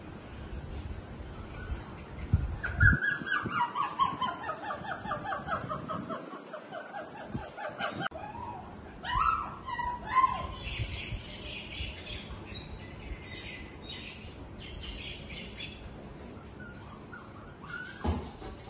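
Golden Retriever puppies give high, thin whines that slide downward, with short yelps between them.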